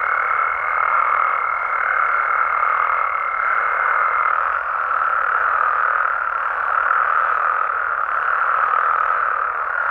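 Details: Many frogs and toads croak together through a Mexican night, a thick, even chorus without gaps. A high thin tone rides over it for roughly the first four seconds.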